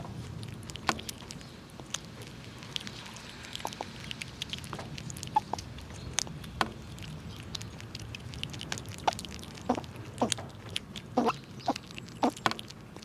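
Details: Several squirrels chewing nuts outdoors in winter while pushing each other around. Sharp cracks and crunches arrive irregularly, several per second in bursts, over a faint steady background hiss.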